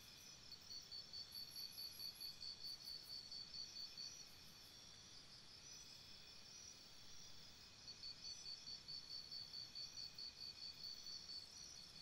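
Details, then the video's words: Night chorus of crickets beside a campsite, shrill rapid pulses in long trains that swell and ease, while thinner, higher insect chirps flicker above and a soft background hiss continues. "Cricket Sounds"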